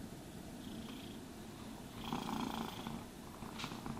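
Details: Purring cat during brushing and grooming; a low, even vibrating purr, with brush strokes that grow louder midway and a brief scratch near the end.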